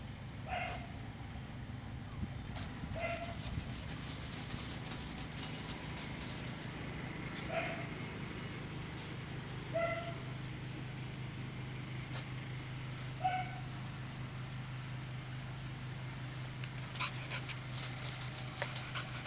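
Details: Australian Shepherd puppy, 76 days old, alone outdoors sunbathing in the countryside during training to spend time by itself and get used to rural noise; five short tonal whines spaced two to four seconds apart over a steady low engine hum and faint hiss.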